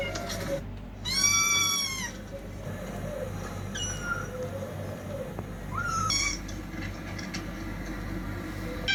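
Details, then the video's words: Fighting cats: a loud, drawn-out harmonic yowl that rises then falls, followed by shorter strained cries and scattered wails over a steady low hum. "TRY THIS SOUND ON YOUR CATS"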